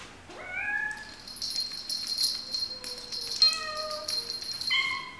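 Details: Domestic cat meowing in a compilation of cats and kittens: a rising meow, then several thin, drawn-out, level meows with a steady high hiss behind them and faint music.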